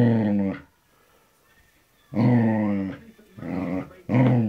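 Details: Samoyed and Border Collie cross, a spoilt pet dog, growling: four rough, voiced grumbles of under a second each, separated by short quiet gaps, with the longest pause early on.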